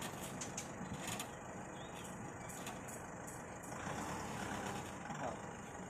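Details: Quiet truck engine rumble and distant voices over a steady outdoor background, with no animal sound.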